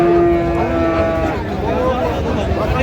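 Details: Bull calf of Friesian or cross breed, Narayanganj, Bangladesh, 25 December, during a farmer's purchase: a single sustained, even-pitched moo holding for about a second, then fading into background chatter and noise.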